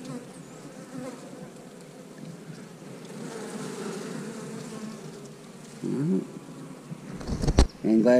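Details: Honey bees at a beekeeper's hive on a first look, a steady low droning buzz of many bees running throughout, with clattering handling noises and sharp louder bursts near the end.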